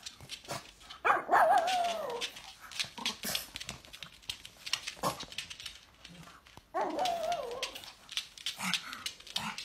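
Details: Pug barking at its owner's coughing, which it dislikes. Two drawn-out, wavering, howl-like barks about five seconds apart, with clattering, broadband household noise between and around them.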